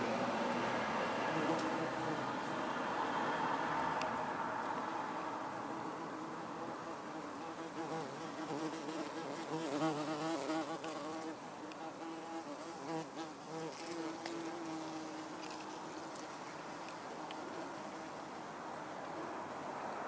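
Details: Common wasp (Vespula vulgaris) on red trumpet vine flowers, buzzing with a steady droning wingbeat hum that rises and falls as it moves, louder early then softer, with faint background rumble.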